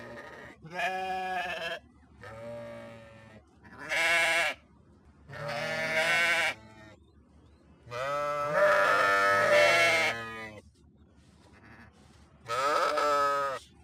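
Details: Sheep bleating in six separate, drawn-out, quavering calls, each about a second long and rich in harmonics, with short quiet gaps between them.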